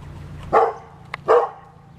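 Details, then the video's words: Pet dog, in the closing part of an argument with an angry squirrel, gives two sharp mid-pitched barks about three quarters of a second apart over a steady low hum. "Dog Arguing With A Squirrel"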